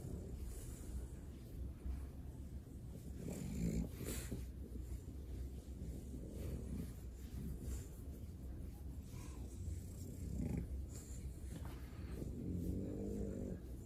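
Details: French Bulldog receiving a belly rub, breathing in slow low snoring rumbles punctuated by occasional short nasal snorts and snuffles over a long, quiet stretch.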